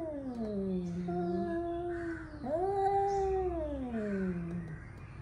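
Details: Angry male cats warming up for a fight: long drawn-out yowling wails with a rich harmonic tone, sliding down, then jumping up and holding before falling again, one continuous moaning cry over a low background rumble.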